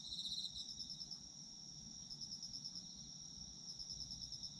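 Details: Autumn insect chorus: unbroken high shrill trilling, a brighter pulsed burst at the start and again later, over a quiet low murmur.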